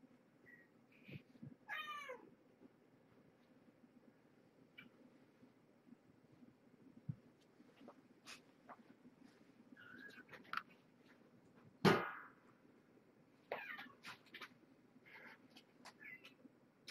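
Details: Domestic cat Marge and her kittens indoors at dinnertime; a few short, downward-sliding meows and brief chirpy mews scattered among clicks, knocks and one loud bang.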